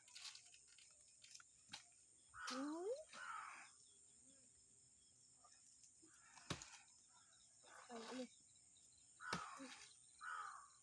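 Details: Farm goats out in the winter morning sun, giving short wavering, nasal bleats in small bursts separated by quiet gaps, with a faint steady hum and scattered sharp clicks behind.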